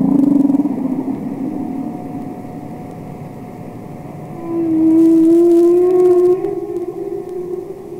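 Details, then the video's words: Underwater song of a wild humpback whale from Capitol Records ST-620: a long, low, steady moan that swells into a louder, slightly rising tonal wail midway, with faint higher harmonics drifting above, then fades. "Songs Of The Humpback Whale"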